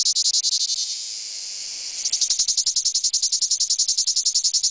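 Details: 'Coquettish song' of male cicadas courting: a high buzzing drone that runs smoothly for about two seconds, then breaks into rapid, regular pulsing beats.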